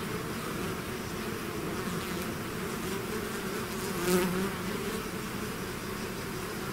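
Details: Bee swarm pouring out of its hive, a dense steady hum centred low with overlapping wingbeat drones, one brief louder swell near the fourth second as a bee passes close.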